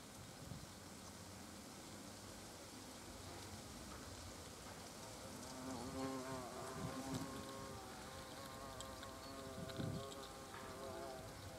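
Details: Hornets coming and going at a nest entrance, European species: rough background rumble and patter, then wavering droning buzzes swelling from about six seconds and again near ten seconds as insects pass close.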